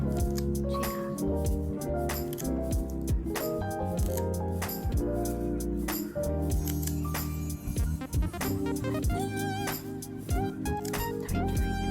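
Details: Bright instrumental music with clinking percussive hits throughout; no animal sound is heard.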